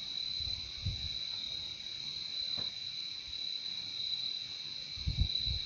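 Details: Steady shrill chorus of crickets, one sustained high trill layered over a fainter lower one, with occasional soft low knocks and rumbles beneath.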